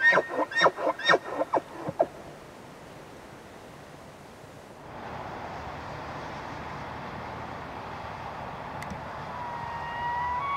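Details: Bull elk, among the season's largest bulls, in early rutting season in Canada's Rockies: a quick burst of about eight harsh, grunting chuckles within two seconds, then steady background hiss with a faint, thin rising whistle near the end.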